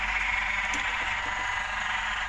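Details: Frogs on a late-night frog-spotting outing: a dense, steady, buzzing chorus that fills the whole stretch without pause, loud and continuous with no clear individual calls.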